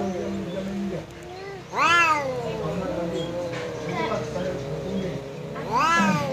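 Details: Domestic cat squaring up to a visiting cat: long, low wavering yowls with sudden loud rising wails near the start and end, harmonics stacked high, in a quiet indoor setting.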